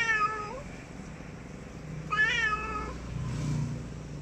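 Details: Two clear meows from a cat, the first falling at its end, the second rising then dipping, with a low hum and soft rumble afterward.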